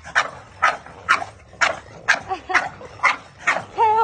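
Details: French Bulldogs in blue, blue fawn, white and black give short, gruff barks in a quick regular series during a big play-fight on grass with a Maltese.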